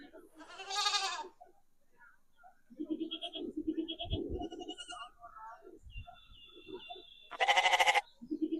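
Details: Goats, one a kid, answering a played goat sound: a quavering bleat opens, people talk and thump in the middle, a high steady tone sounds, then a loud trembling bleat closes.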